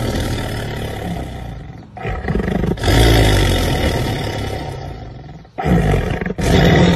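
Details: Black panther roaring: long, deep, rasping roars swell and hold for several seconds each, broken by brief pauses, with a rough, growling low-pitched texture throughout.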